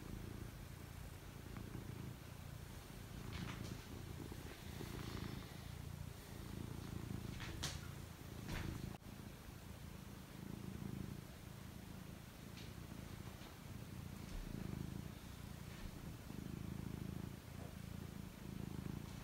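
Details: Domestic cat settling down to sleep, purring continuously. The deep throbbing rumble rises and falls in slow breath cycles, with a few brief clicks and rustling movements scattered through.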